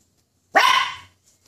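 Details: Poodle, scared of a toy poodle, gives one sharp, loud bark lasting about half a second. It starts abruptly and fades out, and the room is otherwise quiet.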